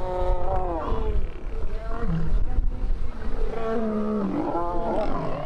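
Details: White lions fight with deep, rasping roars, snarls and growls rising and falling in harsh bursts, as a male defends a young lioness.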